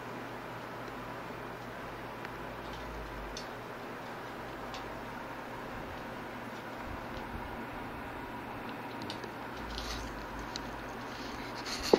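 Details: A steady low hum and faint ticking run throughout, ending in a brief louder knock, with no voice or animal call.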